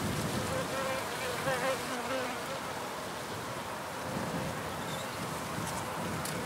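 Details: Wild bees recorded outdoors: a wobbling, humming buzz rises and dips in pitch during the first seconds, then drops back into a continuous hiss of natural background noise.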